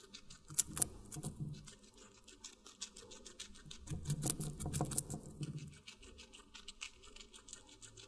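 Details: Close-miked guinea pig chewing watermelon, two clusters of moist crunching bites, one near the start and a longer one around four to five seconds, separated by quiet soft nibbles.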